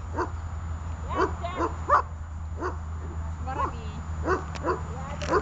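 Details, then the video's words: Dog in guard training, practising holding and barking, gives short sharp barks at uneven intervals over about five seconds, mixed with a person's voice and a steady low hum. "удержание и облаивание (обучение)"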